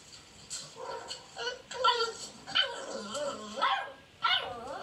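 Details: Beagle puppies outside, some wanting attention and others play fighting in a dog house: sharp high yips and short barks, about five bursts in five seconds, with whiny edges.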